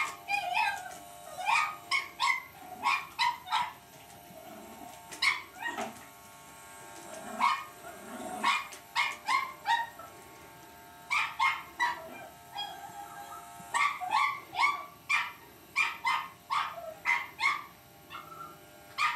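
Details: Cavalier King Charles Spaniel puppy Lucy keeps up her fight with an electric shaver, firing bursts of thin, high yapping barks in uneven groups separated by short quiet gaps, with a steady hum behind.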